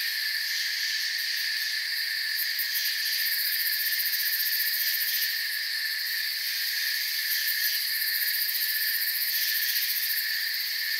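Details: Crickets in a forest setting, a dense steady chorus of high, shimmering chirps layered in several bands, with a brighter pulsing texture flickering at the top and no pauses; no other animals or voices stand out.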